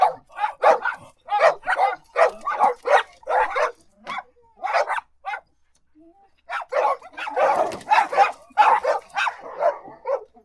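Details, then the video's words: Domestic dog giving a fast run of sharp barks, about one every three-quarters of a second, breaking off briefly before a rougher, louder cluster of barks resumes. "Som de CACHORRO latindo | AU AU (Dog Barking)"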